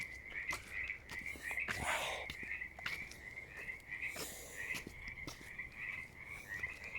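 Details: Several frogs in a pond call together on a summer outing in a steady, trilling chorus of high, pulsed notes, with crickets also heard.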